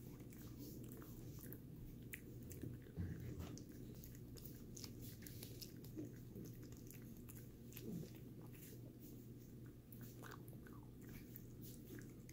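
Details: Sammie, a pet dog, eating a Greenies dental treat indoors in a small room; dense crunching and gnawing clicks run steadily throughout, with sharper bites near three and eight seconds over a low steady hum.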